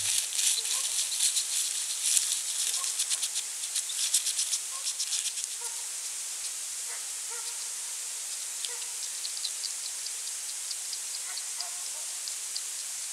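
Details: European hedgehog foraging for small slugs at night in autumn, 23 November 2020, by a small pond and wild bird feeder in the countryside of central France; rapid dry crackling snuffles and chewing clicks, fading after six seconds, over steady hiss with faint brief tonal blips.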